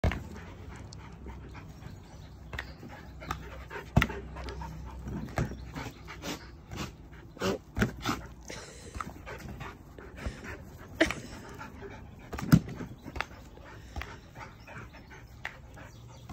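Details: Border Collie playing swingball in the United Kingdom, breathing in quick breathy pants under a low rumble, broken by sharp knocks of the ball against the bat at irregular intervals.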